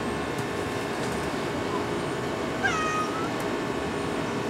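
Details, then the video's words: Orange tabby cat giving a single short meow that starts higher and quickly settles into a flat, thin tone, over steady background hum. "Orange Tabby Meow"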